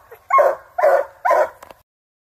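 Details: A Black and Tan Coonhound gives three deep, drawn-out barks while treeing a raccoon on a hunt.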